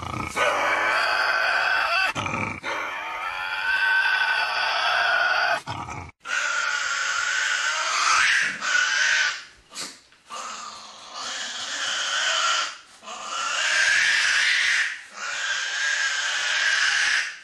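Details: Two Tasmanian devils argue over a piece of meat at a daylight feeding, with a third alone nearby: harsh, raspy growls and screeching snarls in loud, sustained bursts.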